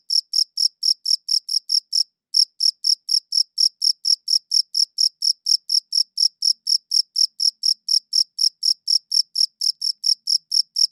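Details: Steady cricket chirping, short shrill pulses at a quick even rhythm, roughly four per second, broken by one brief pause near two seconds; background otherwise silent.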